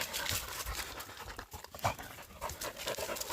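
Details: Dog panting on a woodland mountain walk in South Korea, where a husky tracked a pregnant deer and a Labrador retriever stayed close; dense, breathy noise bursts come in quick succession under rustling ground noise.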